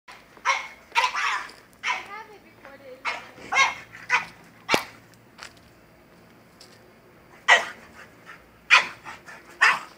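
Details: French bulldog going crazy over a goat, giving sharp, irregular barks in uneven bursts, with a person's voice mixed in between the barks.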